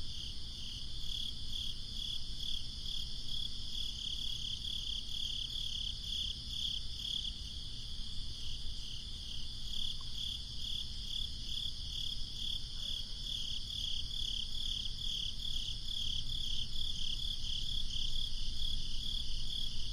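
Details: On a breezy summer night, crickets chirp continuously in a high, rapid pulsing chorus that grows slightly louder toward the end, with faint wind noise below.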